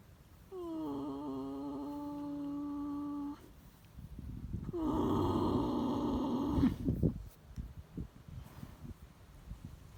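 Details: Horse asleep, giving two drawn-out snores: the first a steady humming tone, the second rougher and breathier, followed by soft rustling and shuffling.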